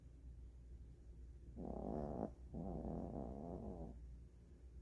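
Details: Maltese dog asleep on a blanket in a bedroom after a full meal of kibble and snacks; two long, rough, droning snores, each about a second, one right after the other over a steady low hum.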